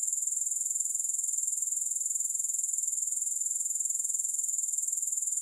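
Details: Unbroken, shrill grasshopper buzzing, a very high, finely pulsed trill repeating at a steady, rapid rate throughout with even loudness and no other sounds.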